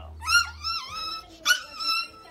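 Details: Pet Chihuahua indoors, competing with a pit bull for its owner's attention: high, harmonic whining yelps that rise and fall in drawn-out squeals, in two bursts, with the owner talking softly nearby.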